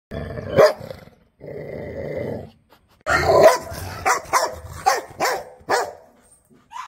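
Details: Angry Rottweiler barking: a low, rumbling growl for the first two seconds, then a quick burst of loud, sharp barks with short gaps between them, and a brief higher yelp at the end.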